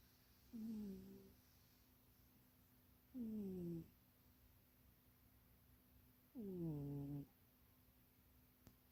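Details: Munchie the cat snoring while napping and dreaming in a box too small for it, indoors; three harmonic, falling snore breaths, roughly one every three seconds, with a steady low hum behind.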